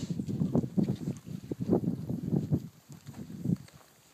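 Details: Heritage purebred Kunekune pigs grazing outdoors on grass: a fast run of low, rough grunts, roughly three per second, loud for about three seconds, then tapering off into a few softer grunts.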